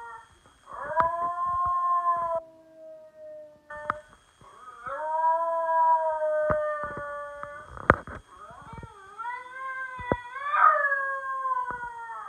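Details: Indoor basenji howling for its owner, a domestic dog giving several long, wavering harmonic wails separated by short breaks, the last phrase rising higher and more strained, with sharp clicks and taps between calls.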